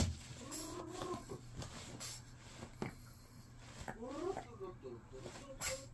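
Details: Adult female Shih Tzu throwing a tantrum when told to go to someone, giving drawn-out, wavering whining grumbles that bend up and down around the first and fourth seconds, with a woman talking in Korean and household noise throughout.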